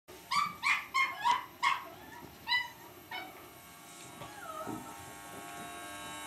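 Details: Cavalier King Charles Spaniel puppy named Lucy facing an electric shaver, giving a burst of about six sharp, high yappy barks, then a few softer yips and a sliding whine, over a steady electrical hum.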